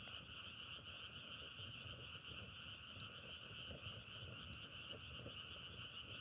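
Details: Frogs calling in a dense, unbroken chorus: a steady pulsing trill held high and level throughout, a fainter band beneath it, with scattered sharp crackles of burning firewood over a low rumbling background.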